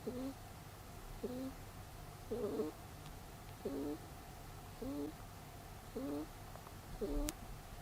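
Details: Snoring of Peter, a pet rabbit fast asleep: seven short, reedy two-tone whistling breaths spaced a little over a second apart, one slightly louder and rougher, against quiet room hum.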